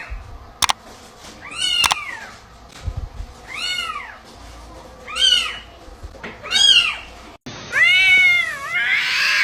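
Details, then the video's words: Domestic cat uttering a series of arched, falling meows roughly every one and a half seconds, with sharp clicks or taps early on, then a louder, more strained drawn-out cry at the end. "8 Sounds Cats Make and What They Mean"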